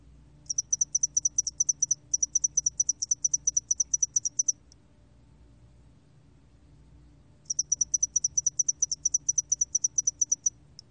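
A spotted-wing hairy cricket sings long trains of rapid, high, ticking chirps separated by a pause.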